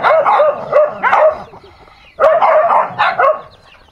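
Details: Dogs in a fight give two bursts of sharp, rapid yelping barks, roughly four to each burst, with a brief quiet gap of under a second between them.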